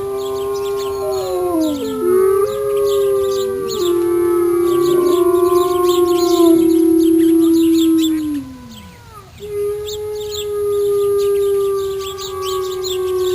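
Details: Gray wolf; chorus howl; communication between wolves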